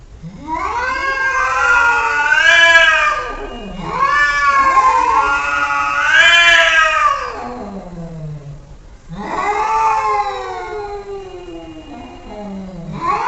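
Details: Domestic cat reacting to funny sounds played to it, giving long wavering, drawn-out yowls that swoop up and down and trail off low, three in a row with short gaps, against faint background noise.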